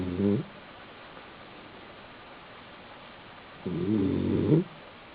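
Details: A male Basenji, sleeping on his back in an apartment in South Park, Pennsylvania, snores in two low, rumbling breaths a few seconds apart.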